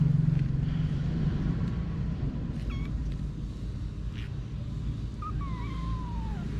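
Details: A mother cat named Anna with her kittens: after a stretch of low background rumble and faint clicks, a single high meow rises briefly and then slides down near the end.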